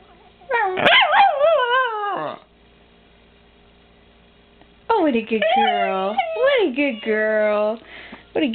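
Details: Female Miniature Pinscher howling indoors as a pet: a wavering howl that falls away, a two-second pause, then a longer undulating howl with rapid pitch wobbles.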